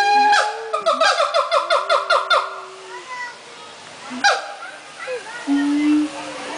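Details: Siamang singing at the Central Florida Zoo: a rapid run of loud, rising whoops pulsing about five times a second, then a sharp bark, a few scattered hoots and a long steady low hoot near the end.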